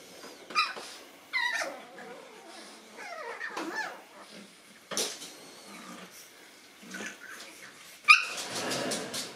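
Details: Nine-week-old Boston Terrier puppies meeting a new toy make a run of high, thin whimpers and yips that slide downward, scattered over several seconds with short pauses, plus faint rustling and handling noises.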